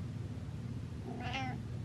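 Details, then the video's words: Chatty cat meowing late at night indoors: one short, bright meow that rises and falls, over a steady low hum. "Late Night Meows"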